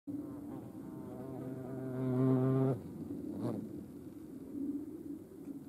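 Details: European hornet at a feeding place shared with ants in Dohr, Eifel, Germany, on 28 July 2022; a low droning buzz with stacked harmonics swells for about a second, then drops away to faint background hum.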